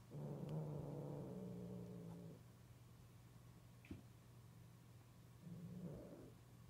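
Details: During mating, a cat utters a long, deep, growling moan lasting over two seconds. A soft tap follows, then a shorter, rising second wail near the end over steady background hum.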